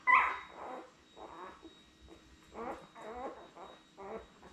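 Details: A litter of seven newborn Labrador Retriever puppies, born May 24, 2021, with their mother Belle on a puppy cam. A sharp squeak opens, followed by several soft, quavering whimpers spaced about a second apart.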